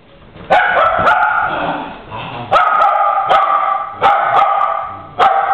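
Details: Two dogs play fighting, giving sharp barks and growly yaps in bursts, each loud bark followed by rough, grumbling vocal noise, several outbursts across a few seconds.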